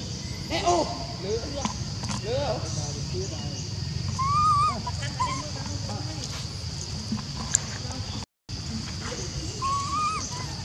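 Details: Two frightened monkeys give short, arched squealing calls that rise and fall, described as an emergency sound, over a steady background hum.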